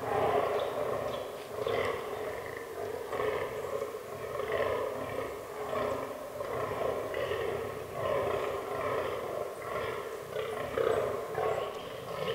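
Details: Fallow deer (Dama dama) bucks during the autumn rut in a forest, herd including albino and melanistic animals; deep, hoarse belching groans repeated in steady bursts roughly once a second, with faint bird chirps behind.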